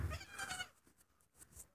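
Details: A one-day-old baby pygmy goat, one of two newborns beside their protective mother in a straw-filled winter pen, gives a short, high, wavering bleat, then quieter rustling follows.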